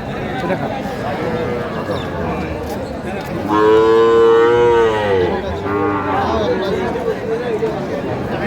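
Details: Young Sahiwal cattle, small bull and heifer calves for sale at a Pabna cattle market on 12/5/25: one loud, drawn-out tonal moo of about two seconds, slightly wavering, over a steady murmur of crowd noise and voices.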